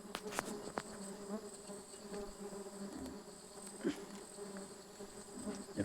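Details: Steady low drone of many stingless bees at a honey harvest, 24 June 2026, a continuous harmonic hum with a few clicks and knocks near the start.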